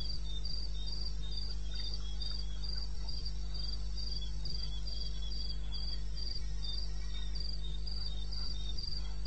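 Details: Crickets at night in eastern Botswana's wilderness, 2:30 AM on 21 May 2016: a rhythmic stream of piercing chirps repeating roughly three times a second, accompanied by a quieter lower-pitched chirp pattern and a steady low-frequency drone.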